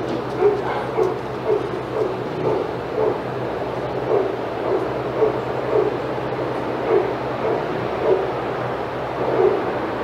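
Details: Senior sanctuary dogs in an outside yard at Old Friends Senior Dog Sanctuary react excitedly as Titus passes; a string of fainter, regular barks sits over a persistent low mechanical hum.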